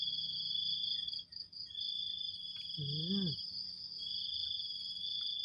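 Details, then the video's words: A morning insect chorus of crickets: a continuous shrill two-toned ringing that holds steady throughout, briefly cut by a short human vocal sound partway through. "ฟังเสียงหรีดหริ่งเรไร ยามเช้าๆ"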